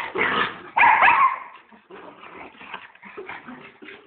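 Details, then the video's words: Puppy letting out two loud, sharp barks close together near the start, followed by softer scattered whines and small yelps fading away. "babi dog"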